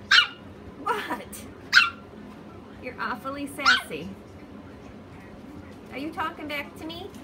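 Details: Chihuahua making "talking" sounds: short whiny yelps and yowls with bent, wavering pitch, several in quick bursts, mixed with a woman's voice.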